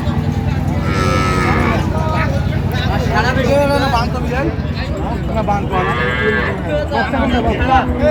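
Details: Cows and calves at Ambari cattle market (আমবাড়ী হাট) on 20/10/25 give low, drawn-out moos that rumble under steady crowd chatter and bargaining voices, with calls rising and fading over several seconds.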